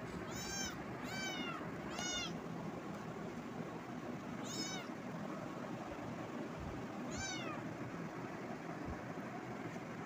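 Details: Cat giving a burst of three quick high meows within two seconds, then two more isolated meows near four and seven seconds, each sharply arched with strong harmonics, over a steady low hum.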